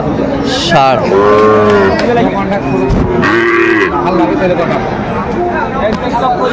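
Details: Lowing from Sahiwal cattle amid a busy Kurigram livestock market, 17 April 2025, during bargaining over a Sahiwal bull calf; two long tonal moos, the second starting near the three-second mark, over voices and crowd noise.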